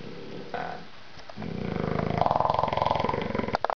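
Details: A sleeping bulldog named Little Mondo lets out a drawn-out, rattling snore that swells and pulses rapidly, preceded by a shorter rough breath.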